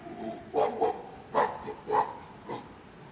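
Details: Chimpanzees from a nine-member family group at Tama Zoo, Japan, May 2019, giving five short hoarse hooting calls roughly half a second apart over three seconds, with faint background murmur.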